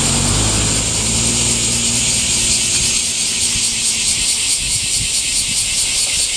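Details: Cicadas shrilling in summer heat, their dense, unbroken high buzz pulsing steadily throughout, with low rumbling traffic-like noise underneath during the first few seconds.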